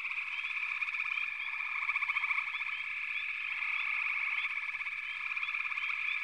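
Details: Dense frog chorus in a backwater: a steady high trilling drone with bursts of rapid pulsed croaks and short rising chirps scattered throughout, no other sounds.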